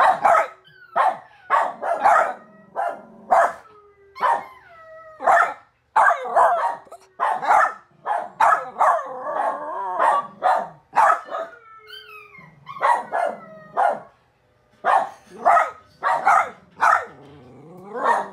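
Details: Zachary the dog howls in wavering, sliding tones mixed among rapid, harsh barks repeated about once a second, with a longer stretch of wobbling howl midway.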